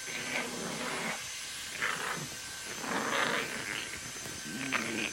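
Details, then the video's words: Pet dogs including 또치 in an indoor fight, March 2018: rough, breathy growling snarls in repeated bursts about every second, set against a constant hiss and faint tonal hum. "[반려견][강아지][Pet][Dog] 싸움 (with 또치)"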